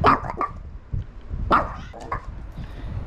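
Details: Little female rescue dog, taken in at ten years old, barks because it is time to go on a walk: quick high yips in uneven bursts, overlapping a person talking softly.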